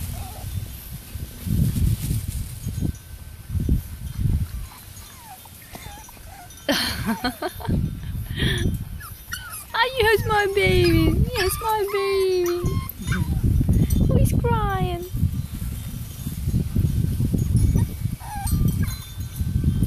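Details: French Bulldog puppies: a run of high, sliding whines that fall steeply in pitch, several in quick succession, with another pair a few seconds later, amid a woman's cooing speech and background music.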